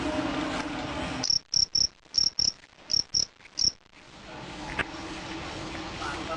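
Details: Fighting cricket in a sound test gives eight short, shrill chirps in quick succession, set between stretches of steady background hiss.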